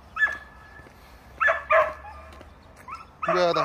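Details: Dog Tongtong, barking to play with a novice delivery driver, gives scattered high whining yips and short barks separated by pauses, ending in a louder harsh burst, with speech nearby.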